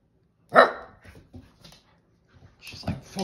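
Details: A Siberian Husky puppy gives a sharp, loud bark to invite her big sister to play, with a person talking.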